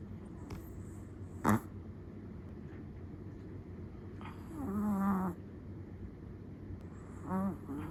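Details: Chihuahua asleep, giving one soft, wavering snore in the middle and a shorter snuffle at the end, with a sharp click early on against a quiet low hum.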